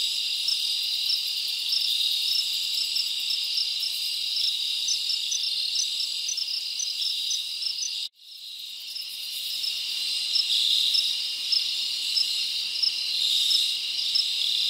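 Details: Crickets chirping at night in a summer forest: a dense, continuous high-pitched trill with faint pulsed chirps on top, broken by an abrupt cut to near silence around the middle before the chorus fades back in.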